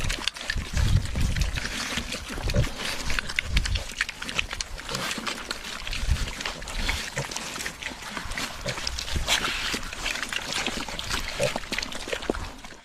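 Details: Pigs at the trough give deep grunts, strongest in the first seconds and again around the middle, over continuous smacking, slurping and munching as they feed.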